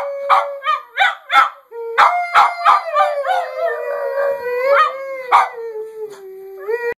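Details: Pet Boston terrier mix singing, opening with a run of short, yelping howls that break into a long, wavering howl. The howl slides gently downward, then ends with a brief rising note.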